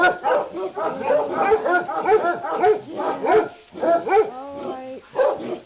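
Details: Christmas chaos as dogs, driven by the smell of leg of lamb cooking in a crockpot, bark continuously in sharp, high yaps, with a brief whimpering note near the end.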